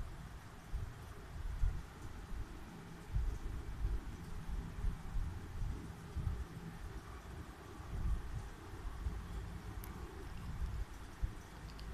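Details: Low rumbling wind and vehicle-like noise fill the recording, with no animal calls to be heard.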